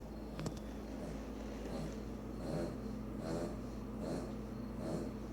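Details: A Boston Terrier snores in soft, raspy, wheezing breaths repeating a little under once a second; the owner says the snoring is loud enough to hear from another room.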